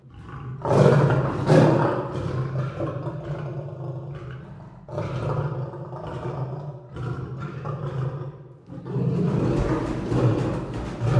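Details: Lion roaring and growling in a long uneven run of deep, rumbling bursts, several swelling loud then easing off, with a steady low throb beneath and short pauses between surges.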